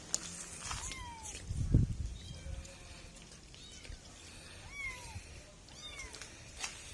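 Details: Kittens meowing in a short mix of faint, high, arching meows spread across several seconds, with low rumbling handling noise and a soft murmur underneath.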